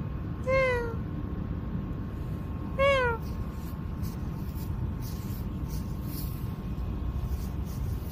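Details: Cat out at night in a park giving two clear meows about two seconds apart, each a bright harmonic cry that falls in pitch, over a steady low rumble of background noise.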